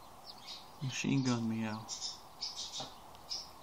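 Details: A domestic cat watching birds gives a rapid, stuttering chattering meow, while small birds chirp faintly in the background.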